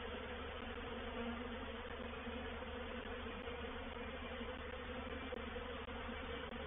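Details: Steady massed buzzing of a honey bee reproductive swarm moving into a swarm trap at Painted Peacock Manor, recorded 04/07/21; a uniform wall of wingbeat hum with tiny dropouts near the end.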